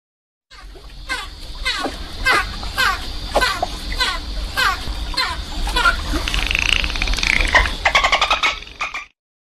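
A dolphin gives sharp clicks in a steady series, then brief rising whistles and rapid click bursts.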